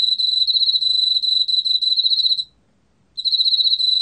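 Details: Korean field cricket song, National Institute of Biological Resources, 2020: a clear, high, pulsating trill lasting about two and a half seconds, a short silence, then the same rapid trill starts again.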